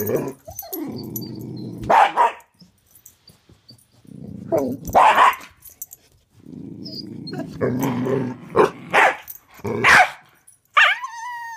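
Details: Karma the corgi and Thor the pitbull in a hide-and-seek game under a bed: three bouts of low rumbling growl, each ending in sharp barks, then a final high whine.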